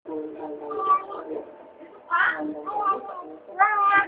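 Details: Pet cat making weird noises indoors: a run of harmonic, wavering meows and chirrups, with a brighter rising cry near the middle and another at the end.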